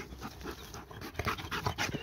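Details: Tireless dog chasing a laser pointer, breathing in quick, uneven, breathy pants that grow louder and denser toward the end, with a faint whimpering edge.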